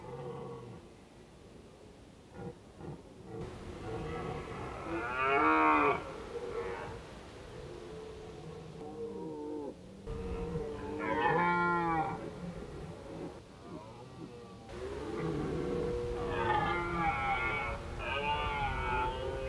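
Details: Autumn red deer in Krasny Bor on 1 October 2015, an Indian-summer day, bellowing repeatedly: a series of loud, hoarse, harmonic roars about every four to five seconds, with lower moans overlapping between them.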